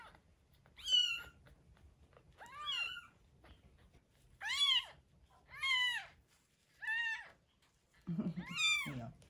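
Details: Week-old rescued kitten from Paraguay during a milk feeding indoors, giving six loud arching mews, roughly one per second or so, each rising then falling, the last overlapped by a soft low voice.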